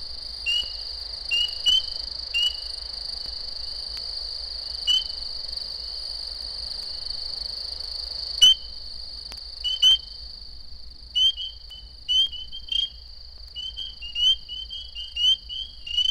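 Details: A Florida spring peeper chorus gives sharp, rising peeps over a steady high ringing. The occasional rapid trills indicate mating activity. The species is heard in winter and early spring.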